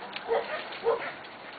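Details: Corgi puppies about four weeks old, awake early in the morning and playing up and down a slide indoors; two short, high yips about half a second apart over faint room noise.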